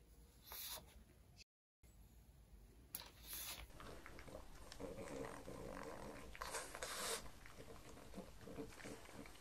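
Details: Pug named Mars at breakfast indoors, offered cucumbers, white bread croutons and beef bacon. Snuffly snorts and wet chewing come in irregular bursts, with a short silent gap near the start and some faint background voices.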